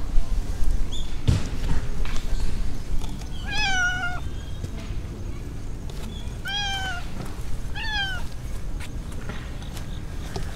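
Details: A stray mackerel tabby cat in a park in the middle of a city, walking alongside a person; three clear meows with rising-falling harmonic arcs, near 3.5, 6.5 and 8 seconds, over steady low city rumble.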